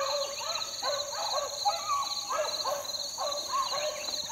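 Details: Four-month-old Beagle pups out in the field in 2013 bay in quick succession: short, bending, yodel-like notes that rise and fall, roughly two each second, with a constant high-pitched hiss behind them.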